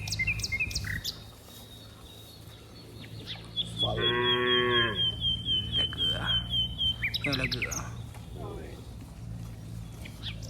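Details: Dozens of cows in green rice fields; one drawn-out harmonic moo midway, a shorter call after it, with high bird chirps and people talking around.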